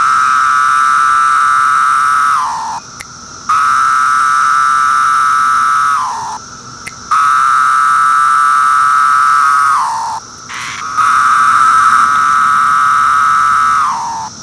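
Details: Magicicada septendecim periodical cicada of Brood II, 2013, calling on bark; loud droning buzzes about two and a half seconds long, each ending in a downward slur, repeat four times with short quieter gaps between.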